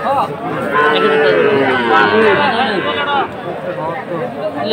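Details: Sahiwal-type bull and heifer calves for sale at a Manikganj cattle market, Bangladesh, 30 November; one long, wavering moo lasts nearly three seconds, surrounded by busy crowd chatter and nearby talking.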